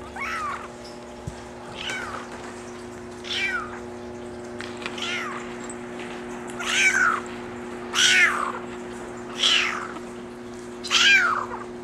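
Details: Maine Coon kitten, a brown mackerel tabby and white male born July 17, gives a series of about nine short, rising-then-falling meows roughly every one to one and a half seconds, growing louder toward the end over a steady electrical hum.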